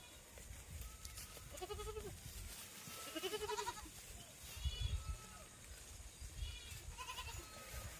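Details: Goats kept for farming giving several short, quavering bleats spaced a second or two apart, rising then falling, over steady low rumble and background hiss.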